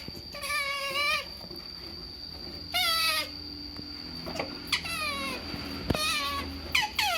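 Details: Screaming otter begging for food, with several separate shrill, falling squeals about a second apart or less, between quieter gaps and a faint constant high-pitched tone.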